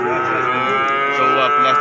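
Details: At Pati's Wage cattle market, a calf holds a single steady, nasal moo for the whole short stretch, rich in even harmonics, amid other market animals.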